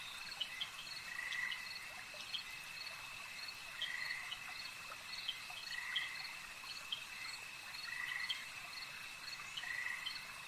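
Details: Frogs calling at a lake give soft, buzzy croaks roughly every two seconds. Scattered sharp clicks and a constant high-pitched drone run underneath.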